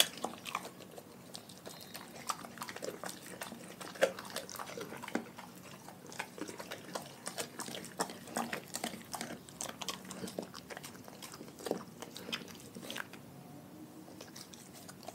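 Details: Quiet, steady eating from a dog in a pack fed raw food: many small crunches and clicks of chewing, spread unevenly throughout, with faint wet mouth sounds in a small room.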